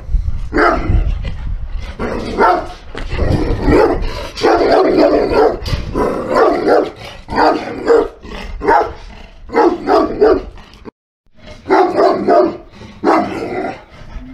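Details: A Sarplaninac, or Yugoslav Shepherd Dog (Canis familiaris), barks deeply and rapidly in loud, closely spaced bursts.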